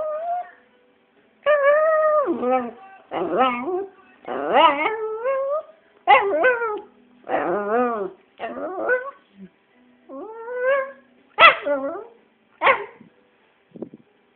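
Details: Pet Jack Russell terrier making funny noises while begging a man to play: about a dozen bursts of wavering, yodel-like whines and yips, each rising then dropping, spaced a second or so apart.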